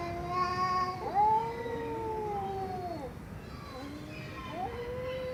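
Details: Cats meowing: a steady mid-pitched meow, then a longer, gently arching call that drops away, followed by quieter short meows and a faint low hum.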